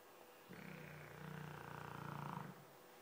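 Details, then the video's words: Fofuxo, a Dogue de Bordeaux, gives a single deep, rattling snore about two seconds long that swells slightly louder toward its end. "Fofuxo roncando (dogue de bordeaux)"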